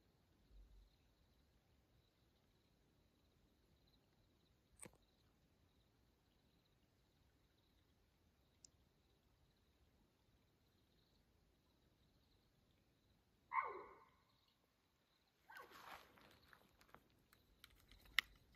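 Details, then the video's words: In the Coconino National Forest, Arizona, a mountain lion cries once at 2:15 a.m. on June 7, 2024, near Houston Bros Trail. A long near-silence with faint ticks comes first, then one abrupt harsh scream, then a burst of rustling, crackling noise. "Coconino NF mountain lion nighttime vocalization"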